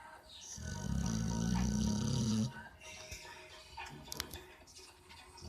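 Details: A sleeping pit bull gives one long, low, rasping snore lasting about two seconds, followed by a quieter stretch of faint breathing and a few small clicks in the room.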